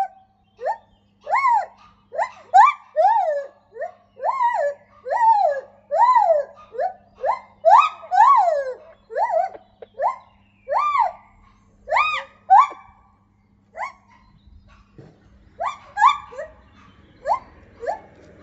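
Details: A captive lar gibbon (white-handed gibbon) in its enclosure sings a run of loud, clear hoots that swoop up and down about every half second. The notes grow more emphatic midway, then the series trails off with a few scattered calls.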